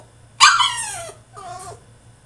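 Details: French Bulldog protesting inside his cage with a single loud, high yelp that drops steadily in pitch, then a shorter nasal whining cry after a brief pause.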